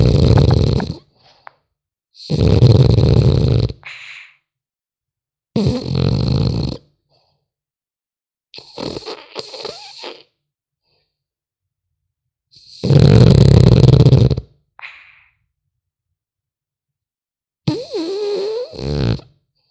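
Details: Rhythmic snoring from a sleeping French Bulldog puppy, loud rumbling breaths alternating with quieter wheezy, whistling exhalations, roughly every two to three seconds over a quiet background.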